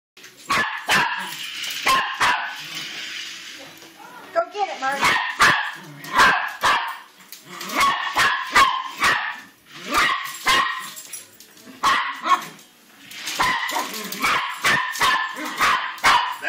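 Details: A dog barks at a remote-control car: sharp, harsh barks come in quick bursts of several, with short pauses between volleys. A voice speaks briefly near the middle, and a whirring mechanical hum runs underneath.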